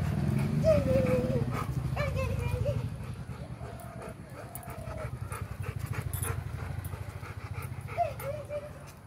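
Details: Pet golden retriever and Labrador dogs playing with their owner indoors; fast, steady panting throughout, with several drawn-out whining tones rising and falling, the longest near the start.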